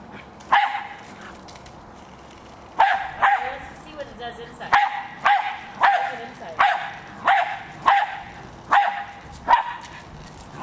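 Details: Pet Jack Russell Terrier Hali going after a remote-controlled toy car, giving a steady run of about ten sharp, bright barks after a short opening bark, with a soft murmur and mechanical whirring underneath.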